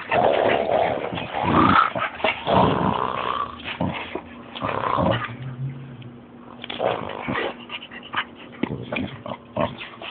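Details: Boxer puppy giving rough, grumbling growls and whiny yelps in uneven bursts through most of the stretch, easing into quieter scattered scuffles and taps near the end.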